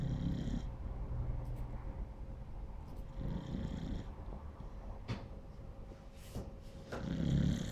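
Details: A Beagle puppy sleeps and snores in low, rumbling breaths. Each snore is a soft, noisy burst coming roughly every three to four seconds over a faint steady hum.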